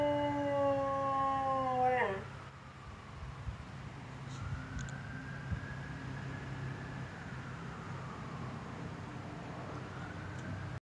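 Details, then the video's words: A Siberian Husky howls at passing police car sirens, a steady, drawn-out howl that slides sharply down at its end. "Husky howling at police sirens"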